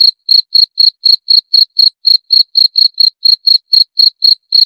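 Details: Crickets' shrill, high-pitched chirps follow one another rapidly at around four per second, evenly spaced and clean, with no background noise.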